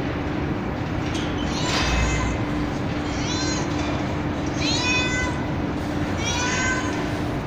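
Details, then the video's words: Street cat with kittens on a terrace at night, fed cat food, mewing repeatedly: four high, harmonic-rich meows spaced about 1.5 seconds apart over steady background hiss and a faint hum. "Billi Ki Awaaz Meow Meow | Cat Voice Sound | Kitten Meowing Video | बिल्ली की आवाज"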